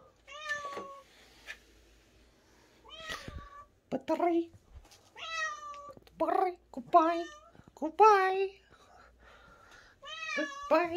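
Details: Stray cat called Momi giving a run of clear meows, about eight short tonal calls spaced a second or so apart, some flat and some bending downward, with quiet human talk underneath.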